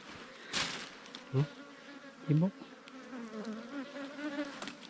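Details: Wild ground-nesting bees, small cavity bees nesting in an underground hollow or termite mound, raided by honey hunters in Thailand. Steady low droning buzz rises in the second half, broken by loud digging thumps near the start.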